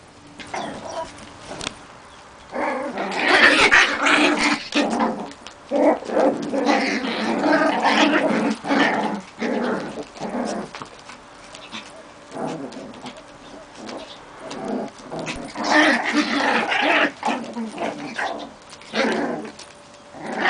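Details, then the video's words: Young Maltese puppies growling and yapping in rough, noisy bursts, one bout from about three to nine seconds and another from fifteen to eighteen seconds, with quieter pauses between. "junge Malteser"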